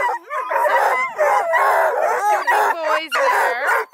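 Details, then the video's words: Coonhounds near Kingston, Ontario, Blueticks, Redbones and Black and tans, give several drawn-out howls that waver up and down, coming in four or five surges with brief gaps between them. "Awesome hound crew want to be heard! Blueticks, Redbones, Black & tans"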